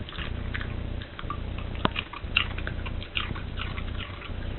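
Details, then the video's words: Dog eating a cabbage core indoors, a favourite food, crunching it noisily: quick dry crisp crunches in bursts with short pauses between bites, over a steady low hum. "This dog makes a sound and eats a core of the cabbage"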